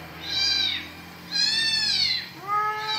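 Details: Pet cat known for wandering to a mosque meows three times in quick succession, bright arching wails with the last trailing off, a faint low hum beneath and people talking nearby.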